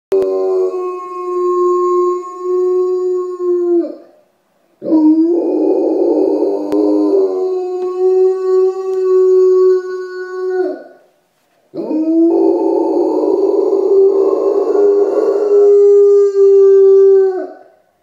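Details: Rottweiler waking up after castration, howling in three long sustained notes of about four to six seconds each, steady mid pitch with rich harmonics, rougher and louder at the start of the later howls, short silences between.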